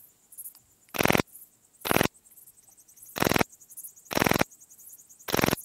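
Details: Pachytrachis gracilis, the Graceful bush-cricket, at Vela Ucka, Croatia, 30 July 2023: five loud, buzzy rasps at uneven intervals of about one second, with softer high chirps in the background.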